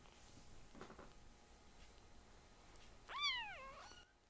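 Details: Tiny rescued foster kitten indoors, among kittens loud enough to startle the older cats: one clear meow near the end, sharply rising then sliding down in pitch, after a quiet room with soft thumps.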